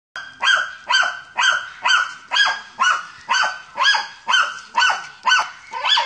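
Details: German Hunting Terrier at a wild boar hunt, barking steadily at about two barks per second, each bark sharp and ringing with a high harmonic edge, evenly spaced throughout.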